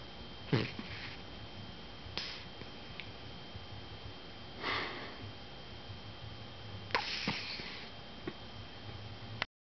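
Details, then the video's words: A female miniature dachshund, lying on her back under a blanket, snores softly in short, breathy snuffles every couple of seconds. "Snoring Dachshund"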